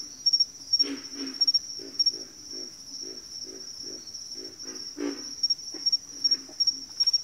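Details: Frogs calling in a backwater chorus: a regular series of short, low grunts about every third of a second, some louder bursts, with a constant high-pitched insect buzz behind them.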